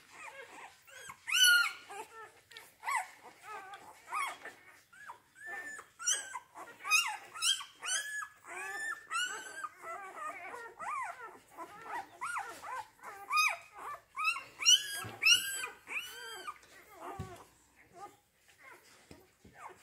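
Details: A kennel litter of Rhodesian Ridgeback puppies born 8 June 2019, giving a long stretch of dense overlapping whimpers, squeals and short yelps, high and wavering, several pups calling nearly continuously.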